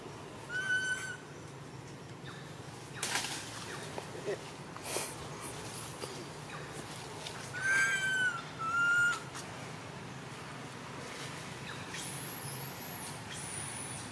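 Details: Young monkey crying non-stop while its mother ignores it. Single high arched whistle early, sharp knocks and clicks, then two more quick wailing cries in succession, with faint speech and handling noise around them.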